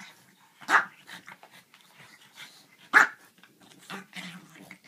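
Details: French Bulldog playing with a griffon: two loud, sharp barks about two seconds apart, with softer grumbling growls and snuffles in between.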